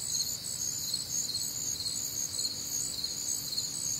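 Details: Crickets and other nocturnal insects on a warm, humid Midwestern summer night, a dense high-pitched chorus of steady pulsing chirps layered in several bands, continuous without pause, no other clear sounds.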